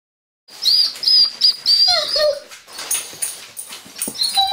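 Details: One-year-old male Doberman whining in frustration at a closed door, wanting to greet visitors: rapid, very high squeaky whines and yelps in quick bursts, some sliding down in pitch, then a busier stretch of mixed squeals.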